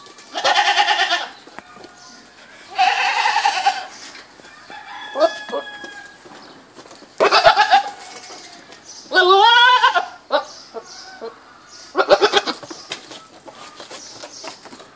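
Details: Series of goat bleats, several harsh and quavering, about two to three seconds apart, mixed with shorter chirping calls from other animals between them.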